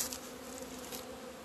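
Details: Honey bees from a hive on 17 February 2020, emerging into the sun for the first time in two months after many warm days. A steady low hum with bands near the bottom of the range, plus broad airy hiss above.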